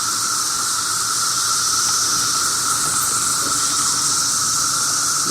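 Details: Mass chorus of 17-year periodical cicadas swarming and flying around a holly tree behind a house, near the end of their cycle: a steady, loud, hissing whine with a droning undertone, many insects blending into one unbroken wall of noise.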